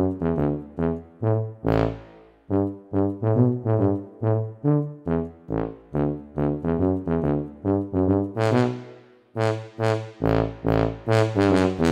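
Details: Trombone-like brass melody in short, evenly paced notes, with no animal sound audible.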